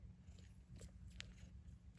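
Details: A Maine Coon mother cat purrs in a loud, steady low rumble while kneading as her 48-hour-old newborn kittens suckle milk, in SE Michigan.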